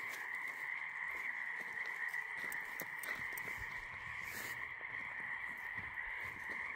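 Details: Frogs calling at night on a walk, a dense unbroken chorus of high, steady trilling that forms a continuous ringing drone, with faint scattered clicks and rustles throughout.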